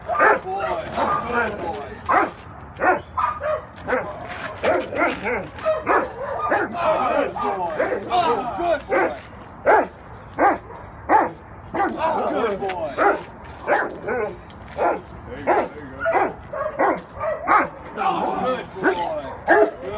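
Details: Cane Corso barking in a rapid, fairly steady series of short, mid-pitched barks, roughly one and a half per second over twenty seconds, with some irregular bursts; human voices are faintly mixed in.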